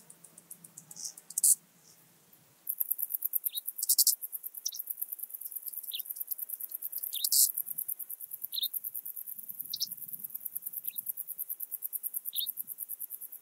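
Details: Eastern banded grasshopper singing at Zalahalap, Hungary, on 18 July 2022: a very high, fast, continuous ticking stridulation that starts suddenly and runs on, with scattered brief, slightly lower buzzy bursts.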